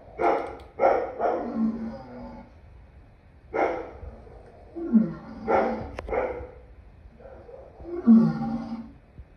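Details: Lion producing heavy, rasping moans, several ending in a falling, growly tail, in uneven bursts separated by short pauses.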